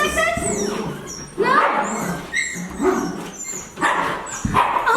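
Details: Eight-week-old Siberian Husky puppy being picked up, several puppies out together, giving high whiny yips and squeaky whimpers that rise and fall, with people talking excitedly and music in the background.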